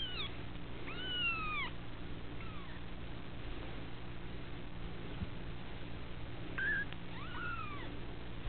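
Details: Female kittens from one litter at the Felis Anatolia Cattery mewing: clear, bowed meows at the start and again near the end, with a quiet stretch between, against a constant low hum.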